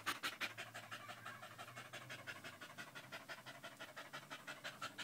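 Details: Fast, even panting from Danco, a pet dog pressed against someone's leg, 05.08.2013; breathy hissing bursts repeat about three times a second with a faint low hum beneath.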